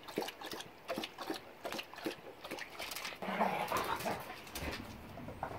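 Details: German Shepherd Boxer mix dogs at play, recorded January 26, 2021; quick irregular huffs and scuffles with a brief whimpering tonal whine midway, followed by rougher growly bursts.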